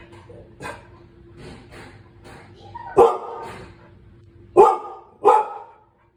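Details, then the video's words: Cane Corso at home reacting to strange noises from someone fixing the garage: a few faint early woofs over a low background hum, then three loud deep barks, the last two close together. "Cane corso reacts to strange noises in the garage"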